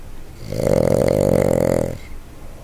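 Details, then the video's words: Sleeping Boston Terrier, Jumpin Jack Flash aka Jackie Chan, gives one long vibrating snore of about a second and a half, a rough buzzing rattle that swells and cuts off, followed by soft breath in a quiet room. "Boston Terrier SNORE"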